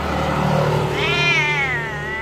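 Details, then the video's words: Domestic cat greeting a visitor it meets only weekly, meowing for attention: a single long meow, swelling upward midway and sliding down at the end, over a constant low humming background. "I Enjoying Talk With Cat, He Meowing So Special"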